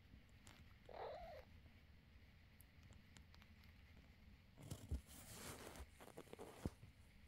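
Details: Quiet, steady low purring from a mother cat lying with her kittens. A brief higher mew-like sound comes early on, then rustling and handling noises later.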